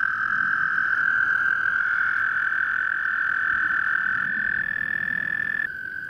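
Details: American toads calling during breeding at Eldon Russel Park, Geauga Park System, Ohio: a long, steady, high musical trill held for over five seconds, with a fainter second trill overlapping slightly higher, over a low background rumble.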